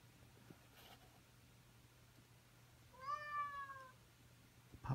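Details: Indoor house cat giving its daily morning wake-up call: after quiet with a low hum, one rising-then-falling meow lasting about a second, followed by a brief knock.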